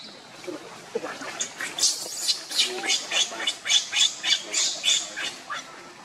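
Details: Monkeys as Luna runs fast carrying the baby Luno while Rainbow tries to take Luno away: a loud run of harsh, high screeching bursts, about three or four a second, rising and falling in strength, with faint outdoor background.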